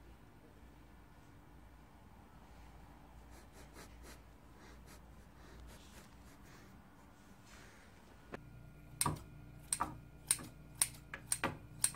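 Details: A quiet room hum gives way to sharp, fairly regular taps in the last few seconds, with no animal calls.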